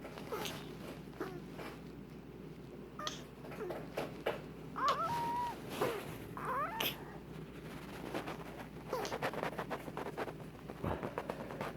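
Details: A pet prairie dog makes odd wheezy, snuffling breaths with thin squeaky whistles in between; something, probably hay pollen, is stuck in her nose, as happens from time to time.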